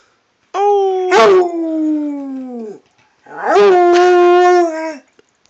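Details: Redbone Coonhound howling to its owner, two sustained, loud howls of about two seconds each, the first sagging gradually lower in pitch, the second steadier with a rough, wavering onset.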